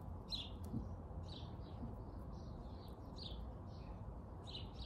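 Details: Jimmy the squirrel calling with spaced, sharp downward-sliding chirps, roughly one per second, against a constant low hum.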